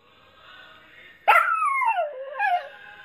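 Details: A dog joins in with the song It Gets Better by Mad Child, music steady at first, then a sudden loud howl that sweeps downward, wobbles and rises briefly before fading.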